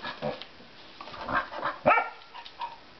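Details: Female pet puppy protesting in a kitchen at missing her nightly biscuit after misbehaving, with short yelps, then rising harmonic whines building to a strong bark near two seconds, followed by softer whimpers; a person's voice comments.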